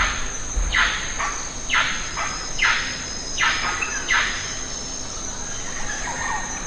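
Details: Lion-tailed macaques eating jackfruit in the Western Ghats forest: a series of sharp, falling squeals spaced about a second apart, fading into softer chirps, with constant high insect drone behind.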